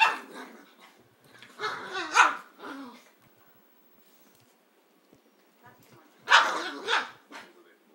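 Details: A dog at play gives rough, growly barks in three bursts: a short one at the start, a longer cluster near two seconds, and a final loud burst after six seconds, with quiet gaps between.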